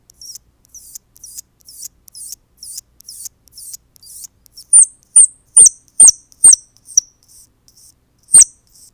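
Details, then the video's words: High-pitched crying of baby squirrels meant to draw their mother back: soft breathy squeaks speed along at first, then give way to loud, sharp repeated squeals about two per second. "One Hour Baby Squirrel Cries To Attract Mother"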